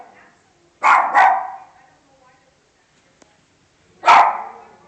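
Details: Dog barking: a quick double bark, two loud harsh bursts close together, then a pause of nearly three seconds and a single bark, with a faint click in between.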